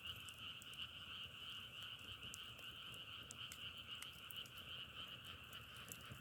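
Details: Frogs calling together in a dense, unbroken chorus: a steady droning trill that holds two even pitch layers throughout, with scattered sharp crackles like burning firewood over the top.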